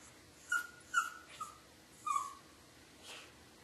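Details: Dog crying during a thunderstorm, filmed on a dog cam: four short, thin, high whimpers, each under half a second, come in a loose series, then a softer breathy whine at the end.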